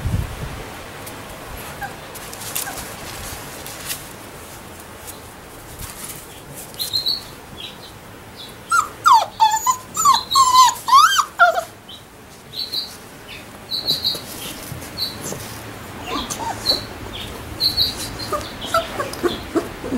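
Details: One-week-old Labrador Retriever puppies whimpering and squeaking in a quick cluster of short rising and falling yelps midway, with fainter thin squeaks before and after and occasional handling noises.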